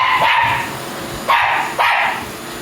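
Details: Mame Shiba picking a fight with a vacuum cleaner: three short, sharp barks, each starting abruptly and tailing off, about half a second to a second apart, over the steady roar of the running vacuum.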